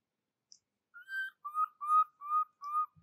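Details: Orphaned baby monkey Jovi calling for her mother Joyce until she falls asleep, cared for by Rainbow: five or six clear, tonal whimpering cries, each slightly wavering, repeated about every half second after a single faint click.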